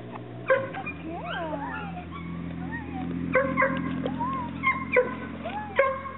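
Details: Chesapeake Bay Retriever puppies giving wavering, sliding whines and sharp squeaky yips in quick bursts, layered over a low steady hum.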